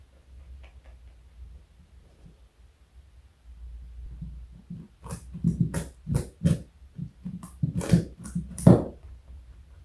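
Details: Joey the pet rabbit, 4.6 kg and 60 cm long, eating carrot: a quiet start, then from about five seconds a string of irregular crisp crunches growing louder, the last bite the strongest.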